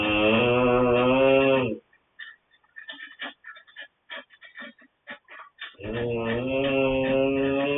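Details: Coman the dog snoring: a long droning, buzzy tone with a low steady pitch and rich overtones for almost two seconds, then a quieter stretch of soft clicking and fluttering breaths before the drone returns.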